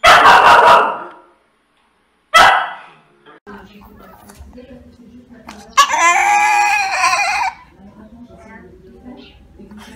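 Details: Dog giving two loud, sharp barks a couple of seconds apart, followed by a drawn-out, wavering whine-like cry, over a low background murmur.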